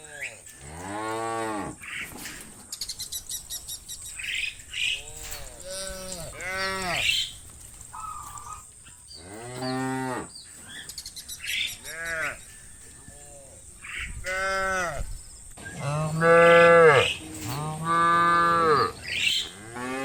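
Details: Hundreds of tame cows roaming muddy fields moo, with long, rich lowing calls overlapping one another across the herd.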